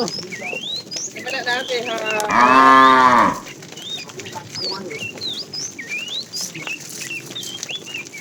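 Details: Fat cow from a tame herd being herded in the afternoon, calling the female; one loud, rounded moo of about one second amid busy, high twittering birds.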